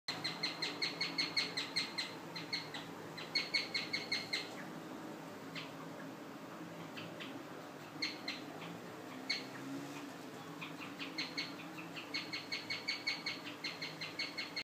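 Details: Guinea pig singing: bursts of rapid, high, bird-like chirps repeated several times a second, each run lasting a few seconds and separated by short pauses, over quiet background hiss.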